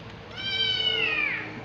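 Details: An always hungry cat lets out one long, clear meow that holds steady and then slides downward at the end, over a quiet room hum.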